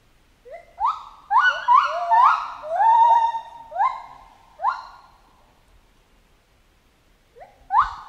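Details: Chimpanzee calling in a jungle setting: harmonic, tonal cries, each sweeping sharply upward and then holding a slightly falling note. About nine come in an irregular run, then a quiet pause, then two more at the end.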